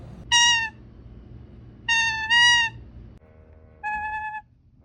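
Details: Happy honks from a pet toucan: loud nasal honks in a quick pair then a single, each about half a second, rich in harmonics, with faint indoor background hum.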